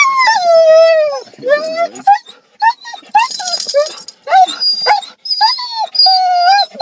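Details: Excited Siberian Huskies arriving at the dog park give a long sliding howl, then a run of short whining yelps and bent whines, one sharp burst of noise midway, with human voices nearby.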